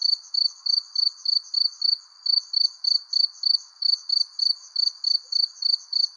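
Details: As the sun sets under a persimmon tree, crickets give loud, crisp chirps in a quick regular beat, about three and a half per second, above a faint continuous trill and gentle hiss.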